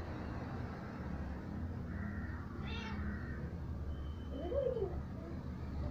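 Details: Domestic cats at play, little kitten Nimi with Ruby, her mother's sister; one short arched meow rises and falls near the end, over a steady low hum with a brief voice and faint noises earlier.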